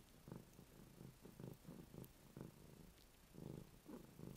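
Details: A female cat named Ruby grooms her kitty bed, purring throughout: a deep, continuous rumble pulsing in breath-like surges roughly three times a second, with some louder bursts and light licking noises.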